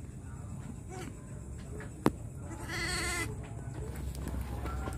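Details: Goat at night after giving birth to triplets. A single wavering, tremulous bleat of about one second sounds midway, over steady low background hum, with a sharp click just before it.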